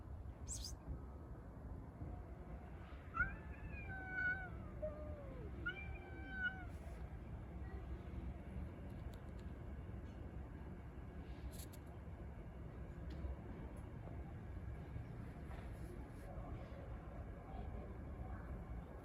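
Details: Street cats quarrelling over a litter box: two wavering, harmonic wails in quick succession early on, each bending down in pitch. The rest is mostly low background noise with scattered faint clicks and taps.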